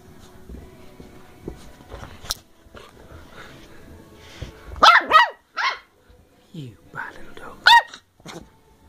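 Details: Playful 10-week-old Bedlington Terrier pup named Molly, working strain from South Wales, December 2013: faint rustling and scuffling, then a few sharp high-pitched puppy barks in two clusters near the end, with a person scolding her about the carpet.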